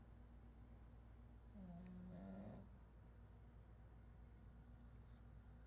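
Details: Chato, a pet pug, snoring: a single low, droning snore with a faint nasal whistle lasting about a second in the middle of a quiet, steady background hum.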